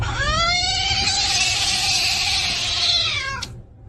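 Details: Domestic cat in a funny cat compilation lets out one long, drawn-out, high wailing meow lasting over three seconds, steady then falling, against a constant low hum and hiss.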